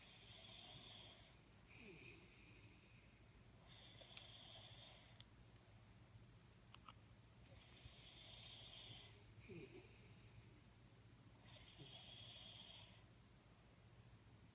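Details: Jaxie, a Jack Russell Terrier, snoring while asleep: wheezy, whistling breaths come in bursts of about a second and a half, in pairs, with brief quiet gaps between them, over steady low room hum.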